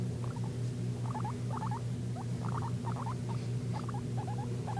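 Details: A guinea pig wheeks in a run of short, upswept squeaky notes grouped in twos and threes, about one cluster every half second, partly masked by a strong steady background hum.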